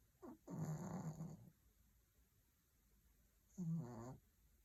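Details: Sleeping Maltese puppy snoring under a cozy blanket: a short snuffle, then a rough, low snore of about a second, a pause, and a shorter fluttering snore, with a soft steady background hum.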